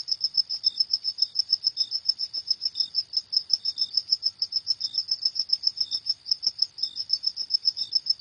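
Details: High, rapid cricket chirps in the night, evenly pulsed and unbroken, with sparse lower chirps now and then and nothing else audible.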